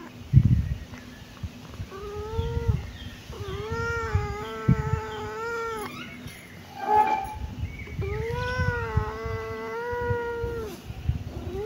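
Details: Kitten producing three long, plaintive meows, the middle one stretched to over two seconds, each steady then dropping slightly, with light knocks and rustling between calls.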